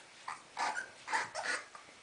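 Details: Soft Coated Wheaten Terrier male puppies, born January 30th, 2011, make a series of short, high, whining yelps in quick bursts over two seconds, with a quiet room in the background.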